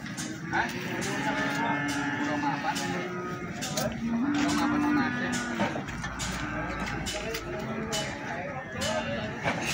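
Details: Premium feeder cattle sold at Plaosan market, Magetan: several deep, level moos of a second or so each, partly buried under dense voices and market noise.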